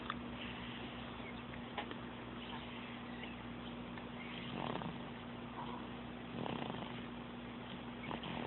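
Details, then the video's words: Sophie the cat purring and snoring, June 2012, recorded on an Android phone; a steady low hum with two louder breathy surges later on, plus occasional faint ticks. "Sophie Snoring/Purring"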